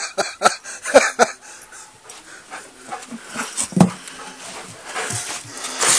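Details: Golden Retriever playing fetch in the snow, 29 January 2013: short rough huffs and whining yelps in a quick irregular burst, then quieter breathy panting, with crunching and a man's voice nearby.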